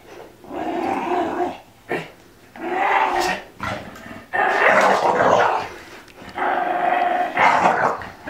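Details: Elsa, an Olde English Bulldogge, goes crazy with a ball caught in her teeth, making rough, throaty growl-moans in repeated bursts, some louder and harsher, one short gap after another.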